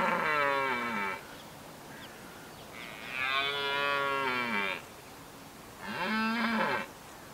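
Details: Rutting red deer stag bellowing in Richmond Park, wild: three long, loud, harmonic-rich roars of about one to two seconds each, rough and moaning, some falling at the end, over faint outdoor background noise.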